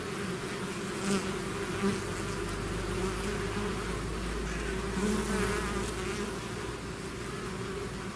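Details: Bees pouring out of the hive as a swarm, a steady dense drone with wavering tones from nearby fliers and a faint low steady rumble underneath.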